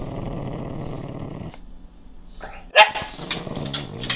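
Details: Pet dog Nash, fierce about guarding his favourite bone from Carla, a playful puppy, during a household standoff. A low rumbling growl lasts about a second and a half, then a pause, and one sharp, high yip breaks out followed by scuffling.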